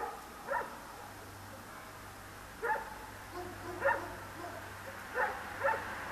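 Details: Sparse nocturnal dog barks, one of many dogs with traffic around, recorded on a Sony DSC-H200 camera; isolated barks, then a paired burst near the end, over a steady low hum.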